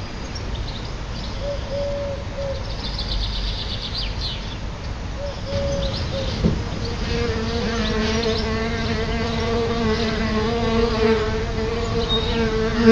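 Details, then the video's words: Solitary bees at a nest just outside a house's front door: after a few high bird chirps early on, a steady low droning buzz with rich overtones sets in and holds through the second half. "Solitary Bees outside my House - Solitary Bee"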